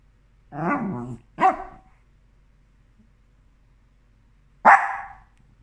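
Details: Havanese dog indoors with a toy stuck under the sofa, giving a drawn-out whiny bark, a short sharp bark, then after a pause another loud abrupt bark; the room is otherwise quiet.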